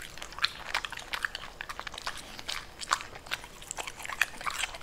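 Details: Pembroke Welsh Corgi chomping on purple cabbage, with steady, brisk, crisp crunches and wet chewing clicks repeating without pause throughout.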